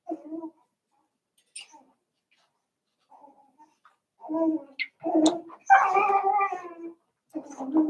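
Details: Seven-week-old Cavalier King Charles Spaniel puppies from Daisy's litter in an indoor home puppy pen, giving soft, tonal whines: scattered brief cries, then a louder drawn-out wavering whimper near the end, with short breaks of silence.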